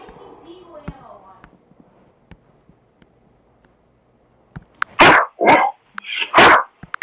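A Great Dane gives a few loud, harsh barks in a quick burst after a quiet start.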